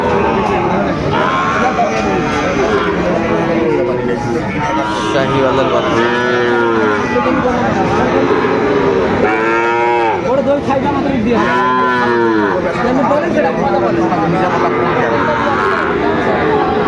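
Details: Sahiwal bulls and calves at the opening of the Aftabganj cattle market in Dinajpur, Bangladesh, on 2 September 2025. Several drawn-out, harmonic moos rise and fall over steady bargaining chatter and crowd noise.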